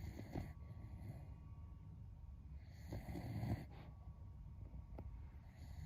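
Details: A sleeping Beagle snoring loudly, like a human, as a close friend's pet dog; low rumbling breaths repeat roughly every two to three seconds under a steady background hum.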